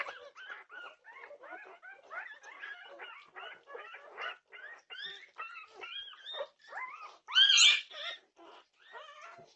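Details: A litter of Norwegian Buhund puppies awake at 2:30 am on June 8, 2021, keeping up a steady run of wavering, pitch-bending whines, with one sharp louder squeal near the end.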